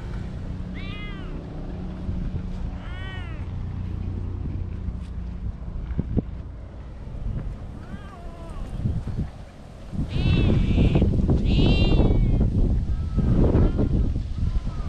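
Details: Cats playing freely in a park: a series of short, quick meows, sparse at first then bunched together, while a heavy low rumble of handling or wind noise swells in the second half.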